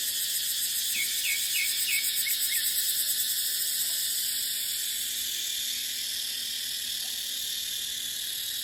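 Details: Cicadas in a dry dipterocarp forest in the dry season: a dense, steady high-pitched buzzing drone with a fast shimmering pulse throughout, and a few short chirping bird notes early on.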